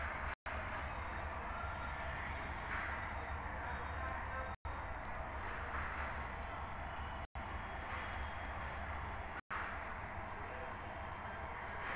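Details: Steady broadband noise with faint voices and traffic-like rumble, broken by brief silent gaps; no animal calls stand out.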